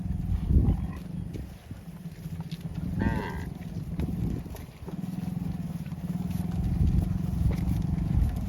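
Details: Cows roaming the fields, calling for friends: low droning moos fill most of the recording, with one higher wavering call near the three-second mark and steady rumbling background noise.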